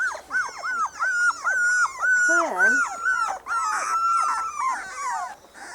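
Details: Four-week-old Spanish Water Dog puppies from one litter on their first day out in the garden, giving overlapping arched whines near one pitch, several at once, with a lower human voice briefly underneath.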